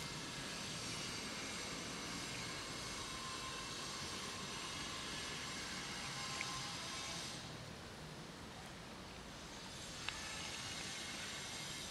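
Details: Continuous broad hiss and rumble, like distant traffic or an aircraft, that eases slightly partway through, with only two faint clicks and no animal voice.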